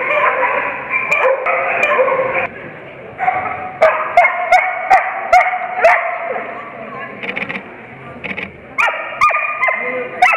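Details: Barking during the veteran agility class, morning ring 1, Agility Ability Dog Show at Easton & Otley College, Norwich Campus, 7 November 2015. Excited bursts of rapid barks are broken by brief lulls, with people talking in the background.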